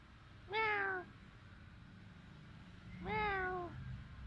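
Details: Domestic cat in a Khmer village in Cambodia, filmed on a Samsung mobile phone: two loud, drawn-out meows about two and a half seconds apart, each with a falling tone, over a low background hum.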